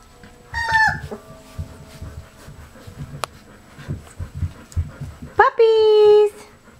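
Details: Golden Retriever puppies about three and a half weeks old, playing, give two high, squealing whines, the second drawn out and falling.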